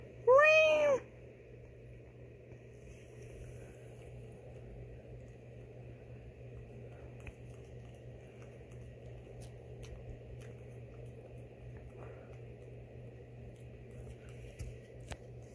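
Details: Indoor female house cat responding to a person meowing at her: a single loud, arching meow at the start, then a long quiet stretch with faint room noise and a steady low hum.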